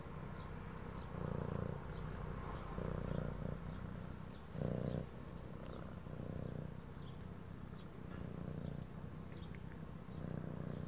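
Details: Domestic cat purring steadily, a low rumbling throb that swells in soft bursts roughly every one to two seconds as breaths alternate, with faint background music and light ticking clicks above.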